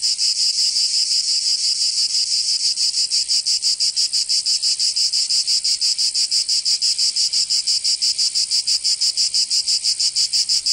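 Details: Provence cicadas in summer, southern France: a strong, piercing buzz pulsing fast and very regularly, roughly three throbs a second, steady and unbroken over the whole stretch.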